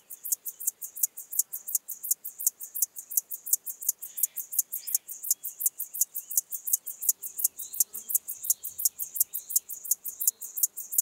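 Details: Locomotive grasshopper (Chorthippus apricarius) recorded in Moosham, Austria, 9 Oct 2020, giving a steady chugging series of sharp, high-pitched scraping pulses, about three each second, strong and regular throughout over a quiet background.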